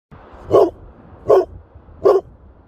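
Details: Female Leonberger at the beach wanting her ball, giving three loud, deep single barks spaced about three-quarters of a second apart over a low background hiss.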